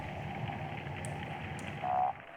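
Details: A steady underwater hiss of dense crackling snaps from snapping shrimp, like frying fat or rain, with a brief louder swell near the end; a drumming sound is noted in the background.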